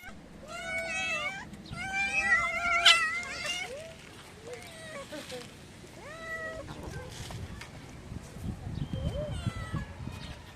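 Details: Several tabby street cats meowing for food as they run up, one of them angry; overlapping drawn-out, wavering meows, some rising then falling, densest early on, over steady outdoor background noise and rustling.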